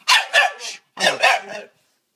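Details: Female Staffordshire Bull Terrier, a friend's pet, hyper with excitement at a visitor's arrival, doing a strange barking 'talk': two bursts of three loud, harsh, yodelling bark-howls, each burst under a second, separated by a short pause.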